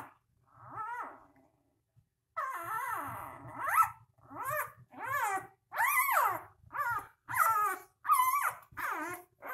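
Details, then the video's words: Puppies only three days old give insistent squealing whimpers, one after another about every second, each a bending, rising-and-falling wail, some with a sharp high edge, over faint low rustling in a quiet indoor space. "Cute Puppies 3 Days Old."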